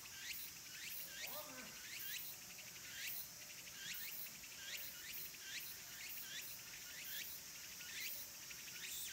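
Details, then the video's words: Summer's end at Kabusanji temple, Takatsuki, Japan, where cicadas sing in the forested mountains. Sharp descending chirp phrases repeat steadily about once a second, high and clear, with a brief lower warble near the start. "Cicadas' voice"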